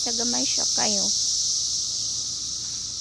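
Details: Cicadas out during the 2021 emergence: a dense, continuous high-pitched buzzing drone fills the recording, with two brief wavering, voice-like sliding tones in the first second.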